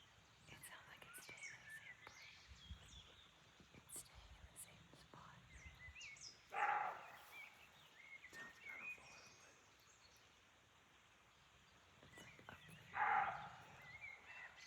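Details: Roe deer in the woods of Chaumien, France: two single coarse barks about six seconds apart, both short and hoarse, with faint rustling and scattered bird chirps in between.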